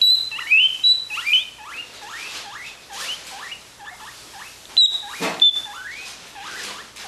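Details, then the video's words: Guinea pigs wheeking to be fed: steady string of loud, high squeals sliding upward, roughly two per second, with some sharp whistled notes and one brief clatter midway. "Feed us!"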